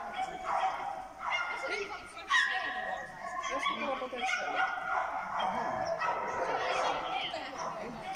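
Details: Small German Spitz named Maisa at an agility course event, JKF, 1 December 2019, giving high, sharp yapping barks in rapid repeated bursts, with people talking throughout.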